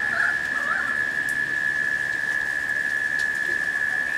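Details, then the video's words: Cicadas droning steadily during a late-summer rain shower, a flat continuous hum beneath rain hiss, with a short burst of warbling native bird calls near the start. "The Sounds of Rain and Cicadas"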